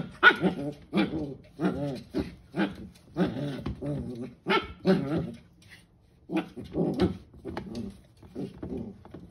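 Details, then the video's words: A 12-week-old corgi puppy playing in "monster mode", giving a run of gruff, throaty growl-barks in bursts of two or three, pausing briefly, then resuming in a steady choppy series. "Pocky in monster mode"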